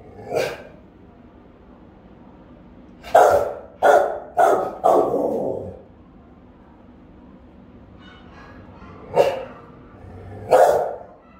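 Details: Rottweiler guarding the house, caught on camera, with a powerful, round, ringing bark; one bark, a pause, a tight cluster of four, then two more spaced barks, faint distant sounds in the quiet gap.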